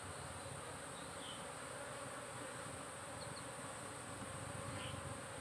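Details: Honey bees from a managed apiary produce an even, unbroken droning buzz with a faint steady tone in the middle range, a few brief higher flits passing over the constant hum.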